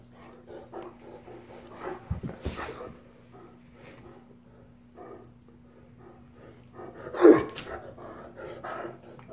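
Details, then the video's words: Great Dane males playing rough with each other indoors, giving scattered low grumbles and huffs, then a loud sharp bark-like outburst, over a constant electrical hum. "Lazy Dane Rough House"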